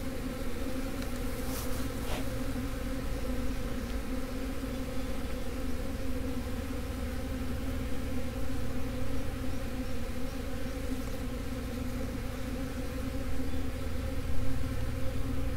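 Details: Swarm of honey bees, with the workers returning to the original colony location in the absence of their queen. A continuous droning hum of many wings, even and unbroken throughout, with a few faint clicks early on.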